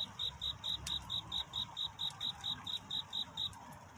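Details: Cricket courting at night, its love song a run of clear high pulses about three per second, each short and even, with a faint click and quiet low ambient noise beneath.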